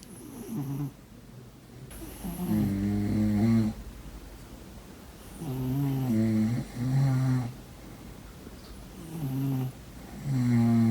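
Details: Sleeping domestic cat snoring indoors: deep, buzzy, rumbling snores in uneven bursts of one to two seconds, some split in two, separated by quiet breathy pauses, with a soft hiss on each breath.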